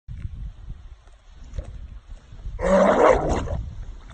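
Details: A Labrador Retriever coming out of a swampy lake gives a sudden harsh, raspy gagging burst lasting about a second.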